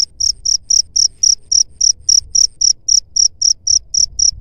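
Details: Cricket call used as a pest repellent against rats, a clean series of sharp high-pitched chirps at an even pace of roughly three to four per second over a quiet background.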